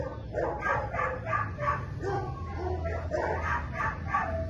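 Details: Minx, a Belgian Malinois in week one of board-and-train at a Florida K9 academy, barking in a quick run of about a dozen sharp barks, roughly three per second, over a low background hum.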